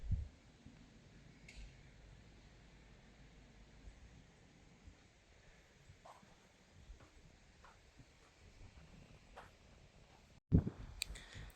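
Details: Near-silent room tone with a few faint clicks, ending in a sudden bump and rustle of handling noise.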